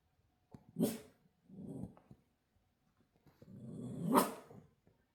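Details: Pet Shiba Inu dog at 6 a.m., making quiet growly, moaning vocal sounds in two short bursts, close and indoors-sounding, with soft background noise between them.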